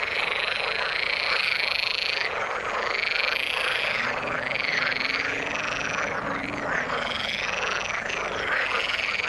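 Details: Frog chorus in the water: many overlapping rapid croaking trills, dense and unbroken, with higher pulsed calls layered above throughout.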